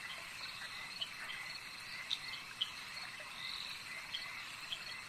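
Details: Lake frogs give brief, bright clicking croaks, several loud ones spaced about half a second apart, set against a continuous high buzzing of crickets. A steady natural waterside ambience.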